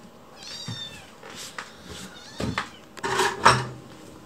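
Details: Chicchi, a lone rescued white kitten, asking in a cute, fawning voice for a meal as someone works in the kitchen. One clear, high rising-falling meow, followed by clinks, knocks and kitchen handling noises.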